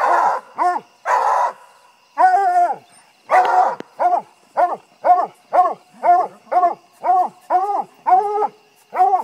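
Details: A five-month-old female puppy trees a raccoon for the first time, giving a steady series of ringing, slightly drawn-out barks, roughly one per second, after a few rougher opening barks.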